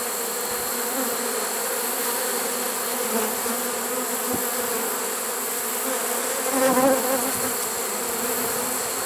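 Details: A trapped honey bee swarm, caught unusually late in the season in September 2019, a sustained buzzing drone with a short louder wavering surge of wingbeats about two-thirds of the way through.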